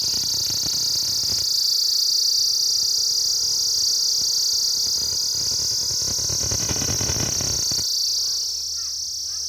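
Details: Cicadas in daytime: a loud, steady high-pitched buzzing drone holds unbroken throughout, with faint lower hum and a brief broadband rumble near the end.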